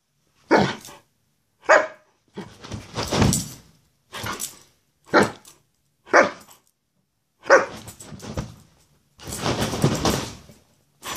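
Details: Greyhound indoors, playfully goofing around: irregular short barks mixed with longer rough, noisy huffing or grumbling sounds, in uneven bursts over about eleven seconds.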